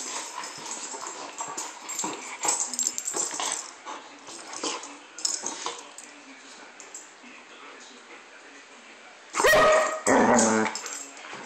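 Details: German Shepherd at play: mostly soft rustling and shuffling, then one loud, harsh bark near the end with a short rough follow-on.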